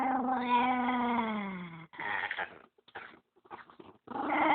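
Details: Indoor dog, protective of the dog next to him and growling when anyone approaches the pair, dislikes the camera; a long, loud, harmonic moaning growl slowly falling in pitch, then short broken grumbling bursts.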